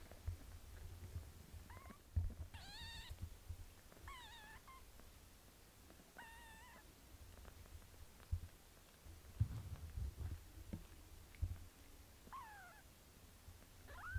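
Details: Cat mother Melania washing her little daughter Pinky; a series of repeated high mews, some rising, some falling, scattered across the grooming session, with steady purring and wet licking noises underneath.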